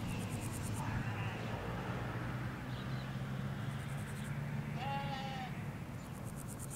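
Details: Sheep in a Hampshire countryside field, ewes with their lambs, recorded in stereo from a hedge: a single harmonic bleat near the five-second mark over a low steady rumble, with faint high bird chirps at times.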